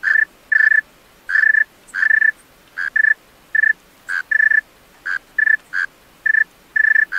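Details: Male tree cricket singing at night: short, pure, ringing chirps, single or in close pairs, repeated at uneven intervals of roughly half a second, with a quiet background.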